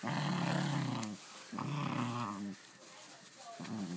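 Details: Dog playing with its new toy, making gremlin-like noises: two one-second moaning growls and the start of a third, with quiet breathing between.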